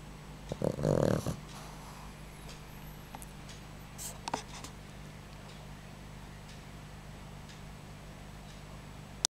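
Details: Boxer puppy sleeping: one short, rough, low snort-like snore early on, then faint rustles and small knocks over a constant indoor hum.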